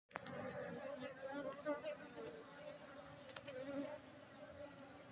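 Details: Honeybees at an apiary in Bener Meriah, Aceh, Indonesia, during the honey harvest on 4 August 2023; a steady low hum of many bees with faint clicks and handling noises.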